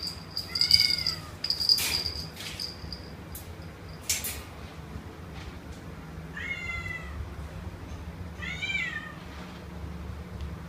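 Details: Kitten meowing three times, spaced several seconds apart, each high and bending down in pitch; male Domestic Short Hair about two months old, offered for adoption in KL, with knocks and a persistent high whine between calls.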